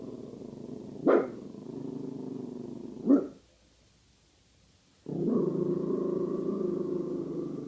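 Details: Pasa, a female guard dog wary of a bag hung up nearby: two abrupt barks over a steady low grumble, a short silence, then a sustained rough, moaning growl.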